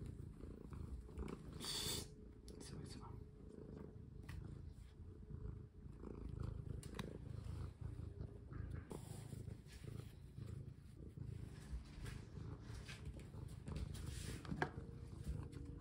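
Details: Pet cat being played with at home, collar being fitted; a continuous low throbbing purr runs throughout, with occasional rustles, a brief clatter and a few quiet spoken words.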